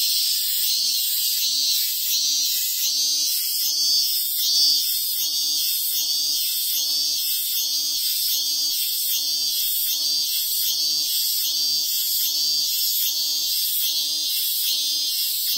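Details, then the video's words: Robust cicada singing in the Ehime hills of Japan by a sacred tree: a shrill high song pulsing in quick, even beats, roughly one or two per second, sustained at constant loudness with no pauses. "ミンミンゼミのご神木があったので観察してみた Japanese Cicada Songs"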